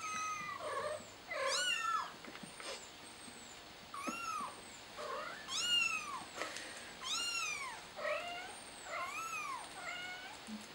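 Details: Frightened kitten crying for its mother, meowing over and over, roughly once a second. The high, bending cries rise and fall and vary in loudness, with brief pauses between calls and a quiet background.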